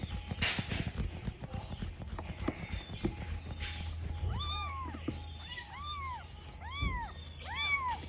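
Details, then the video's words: Tiny kitten left alone, crying while searching for its mother: after a few seconds of low rumbling background, a run of five arched, rising-then-falling meows comes roughly every second, with a steady low hum throughout. "A Kitten Crying While Searching for Its Mother"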